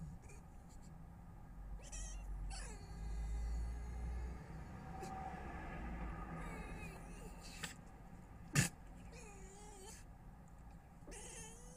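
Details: Red fox heard early in the morning in a garden at Weston-super-Mare, 22 November 2025, making strange noises: drawn-out wavering harmonic wails and descending yelps over a low background rumble, with a sharp knock midway.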